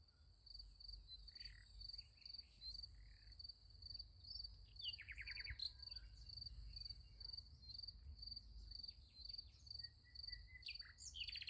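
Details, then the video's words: Crickets at night beside a sunflower field, a continuous high pulsing trill running steadily through, with scattered sharp bird chirps and short descending twitters breaking in, and a low background rumble. "Nice Sunflower Field with Crickets Sound Effect"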